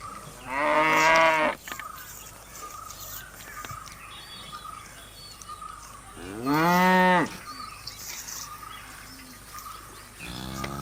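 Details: Cows eating give two loud drawn-out moos, the second arching up and down in pitch and ending in a hoarse bellow, with a third call starting at the end; soft insect-like chirps and background hiss fill the gaps.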